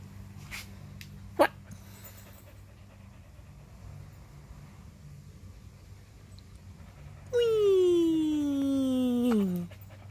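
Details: Husky named Whiskey, a pet dog playing with a bird, after a sharp click lets out a long two-second howling whine that slides steadily downward in pitch, with quiet room noise before it.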